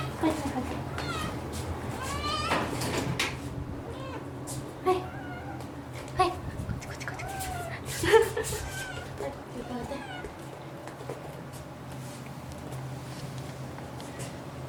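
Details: Kohaku, a white rescued kitten, meows asking for food; a series of short, rising-then-falling mews, some in quick pairs, mixed with human speech and household background hum.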